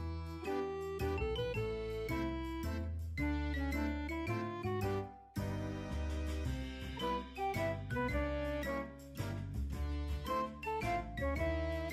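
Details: Instrumental music plays throughout, a bright melody over steady bass notes with chime-like tones, and no animal voices can be picked out.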